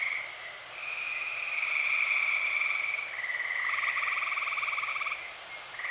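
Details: Nighttime tree frog chorus in Eastern Pennsylvania in early summer: long continuous pulsed trills running for several seconds, a second lower-pitched trill entering near the end, steady and dense.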